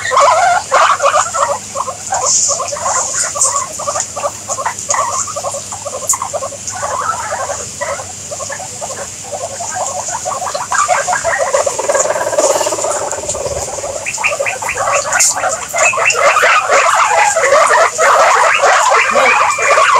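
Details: Guinea pigs chattering in a long run of short, rapid squeaky pulses, several a second, rising in pitch and growing busier toward the end over a steady high hiss.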